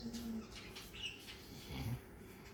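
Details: A sleeping male Labrador gives a soft, low, rumbling snore, one breathy rasp swelling near the end over a quiet indoor hush.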